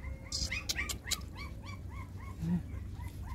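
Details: Six puppies nursing from their mother GiGi give a rapid series of high, arched squeaky whimpers, about four every second. Soft clicks and a faint low hum sit beneath.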